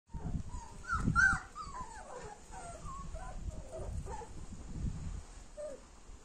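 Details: Golden Retriever puppies whimpering and whining, a series of short high wavering whines overlapping one another, with a louder yelp near the first second.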